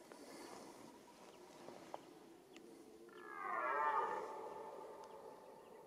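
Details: Mating-season roar of a red deer: one deep, moaning bellow swelling and fading over about a second and a half, preceded by quiet ambient noise with faint ticks.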